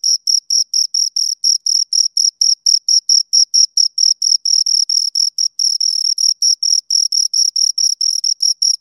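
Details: Two crickets chirp shrilly in rapid pulses, some merging into a longer trill midway, steady and high-pitched, against complete quiet.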